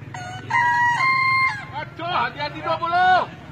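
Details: Bekisar roosters in a crowing-art contest, the Martono Cup final, Solo, Indonesia, 7 May 2017: a long, level, clear crow held about a second, then broken, wavering notes and a final rising-falling phrase, with crowd hum beneath.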